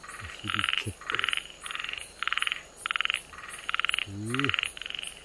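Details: Namie's frog in Okinawa on 31 July 2022, a protected natural monument: loud rasping pulsed croaks, each about a third of a second, repeated about every half second, while people talk briefly and quietly nearby.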